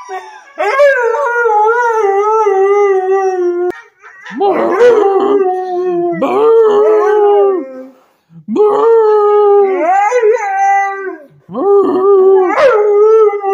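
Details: A male purebred Siberian Husky in service-dog training gives four long, wavering howls, each rising sharply then holding steady before trailing off.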